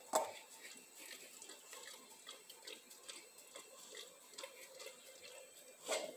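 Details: Dog. Wet, irregular slurps and lip-smacks come from a dog eating, with quick sticky clicks between them. Two louder, sharper smacks stand out at the start and near the end.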